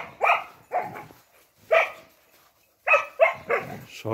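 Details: Spanish mastiffs playing on a farm on 6 January 2021, a winter day with frozen water troughs: a burst of short, harmonic barks, about seven in four seconds, in uneven clusters with brief pauses, with a human voice nearby.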